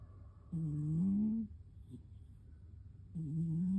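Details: Cat asleep and snoring hard: one long, droning, buzzy snore nearly a second long, then a pause and the start of the next snore.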